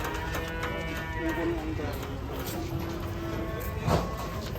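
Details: Cattle from a group being unloaded off a truck: a long, low, droning moo with stacked harmonics, steady for several seconds, over faint background music and some human voices.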